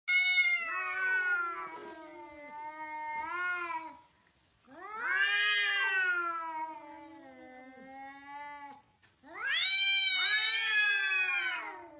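An angry cat gives long, wavering, nasal yowls, each drawn out for several seconds.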